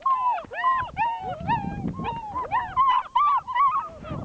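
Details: Six-week-old German Shepherd puppies, three in the litter, giving repeated arched whines and yelps in close succession, sometimes overlapping, with a person's voice faintly beneath.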